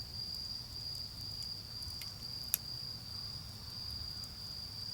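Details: Autumn insects calling on an autumn night beside a garden bonfire: a steady high continuous ringing trill holds one pitch throughout, with sharp crackles and pops from the fire and a low rumble of distant traffic underneath.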